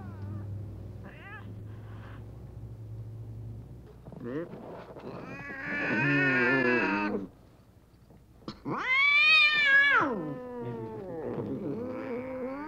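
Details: Domestic cat meows played to attract cats and make them come closer: a few faint calls, then a long loud wavering meow and a second rising-falling one, with softer meows trailing after.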